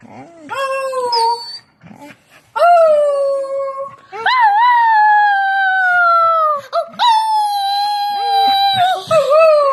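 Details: A dog sings in sustained, steady howls that start abruptly and hold their pitch for one to two seconds, separated by short gaps with brief yelps and whines between phrases.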